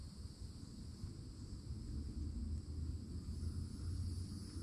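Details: Summertime cicadas at the edge of a Florida forest keep up a constant high-pitched metallic hum, with no pauses, while heavy low rumble swells beneath and grows louder toward the end.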